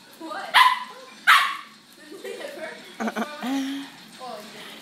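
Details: Two pet dogs, a pit bull and a Lhasa Apso, playing: two loud, harsh barks in quick succession, followed by a woman talking and a short whining tone.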